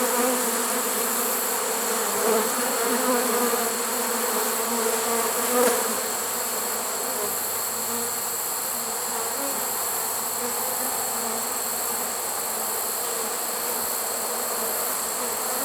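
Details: Late-season honey bee swarm inside a swarm trap, recorded September 1, 2019, giving a continuous, even buzzing drone of low stacked tones, a little softer and hissier, with a faint knock near the middle.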